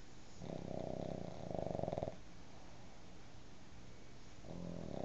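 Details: A pug asleep on a bed beside a cat, snoring while dreaming: a long, rasping, harmonic snore breath of almost two seconds, a quiet pause, then another snore beginning near the end.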